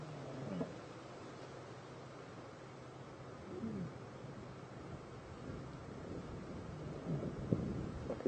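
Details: A lioness answers another lioness's contact call with a very soft, low murmuring purr over a steady low hum, a brief contact call to reaffirm their bond, near a mating pair on an evening safari drive on Jan 10, 2015.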